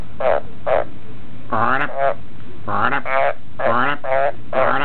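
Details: Australian green tree frog kept as a pet, trained to croak on demand for cricket food. A few short rasping pulses mix with longer rising, tonal croaks in uneven bursts.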